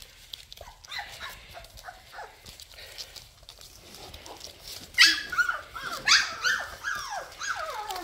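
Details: Labrador Retriever puppies during cuddling and toilet training, kept indoors: several high, squeaky whines and yips with short downward-sliding notes, sparse at first, then louder and more frequent in the second half, over faint room noise.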